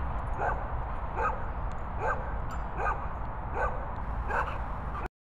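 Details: Labrador Retriever sisters Luna and Maize barking; six short, fairly even barks about every three-quarters of a second above a constant low-frequency rumble, ending abruptly.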